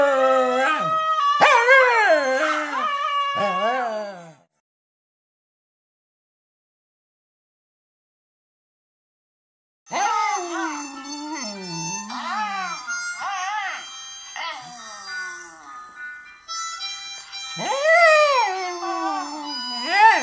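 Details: Jack Russell Terrier howling along to its own voice: wavering, sliding howls with yelps in a first burst, then silence for about five seconds, then a second long run of rising and falling howls with bright harmonics.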